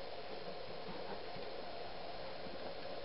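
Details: Quiet, steady broadband hiss and low rumble throughout, with no animal calls present.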